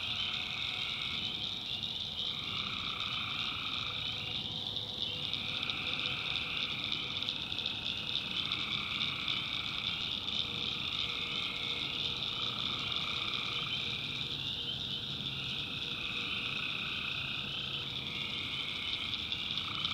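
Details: Night chorus of tree frogs in North Carolina backwoods swamp: a constant high-pitched trilling drone, while a lower buzzy layer swells and fades in bursts every few seconds, countless frogs calling together.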